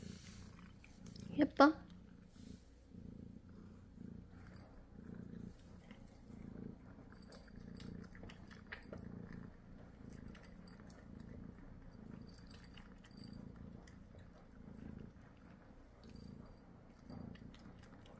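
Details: Munchkin cat indoors, eating well only when its owner stays beside it; a steady low purr rumbles throughout, with one brief louder voiced sound near the start and soft background noises.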